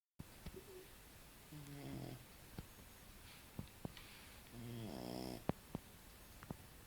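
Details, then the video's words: Six-month-old French Bulldog named Kora sleeping soundly indoors, snoring in two buzzy harmonic bursts, one faint and one louder, separated by quiet breathing and occasional small clicks. "bulldog frances roncando"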